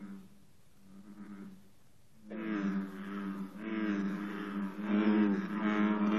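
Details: Morning bullfrog chorus at 54 degrees, with green frogs present: a faint low drone first, then from about two seconds a full chorus of deep, resonant, harmonic calls swelling and pulsing continuously.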